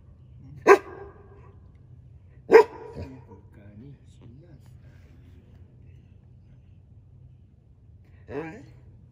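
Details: Akita dogs, three generations of parent and offspring, at a convenience store in early morning; two sharp loud barks about two seconds apart, then faint wavering murmurs and a brief rough sound near the end over a low steady hum.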